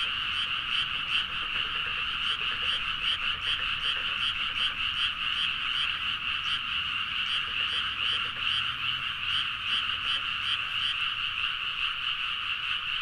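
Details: Dense chorus of many frogs calling at midnight in rice paddies in Nagaoka, Niigata, Japan, recorded on a Zoom H4n. A continuous, rattling wall of overlapping croaks pulses rapidly throughout, with no other clear sounds.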